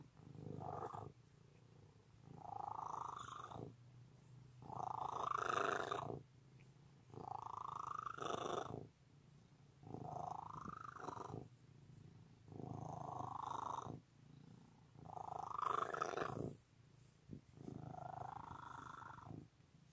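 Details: Long stretch of a cat's loud purr, a buzzy rumble pulsing in regular breath cycles of about two and a half seconds, eight swells in all, each louder phase brightening toward its end.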